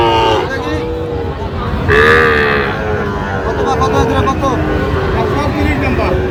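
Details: Sahiwal bull calves on sale at Raniganj haat, Gazipur, Bangladesh, on 7 August 2025. A short harmonic moo opens, then a louder, drawn-out bellow near two seconds, over steady crowd chatter and bargaining voices of the busy cattle market.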